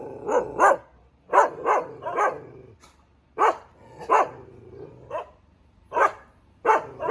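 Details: Barking Thai Ridgeback dog, loud abrupt barks in pairs and triplets separated by pauses of about a second, over a quiet low background hum.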